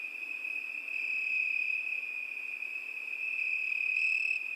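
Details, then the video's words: Night-time cricket song in summer: one unbroken, piercing high trill with gently wavering volume and a short brighter overtone near the end. "ЗВУКИ ЛЕТНЕЙ НОЧИ. ПОЮТ СВЕРЧКИ."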